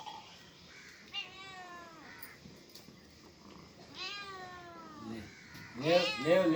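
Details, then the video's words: Cat and kitten meows, spaced apart: a thin meow, a longer descending one, then a loud harsh burst at the end, with voices speaking quietly in between. "Funny Cats and Kittens Meowing sound effects | Cat Sound | kitten sound | Cat Voice"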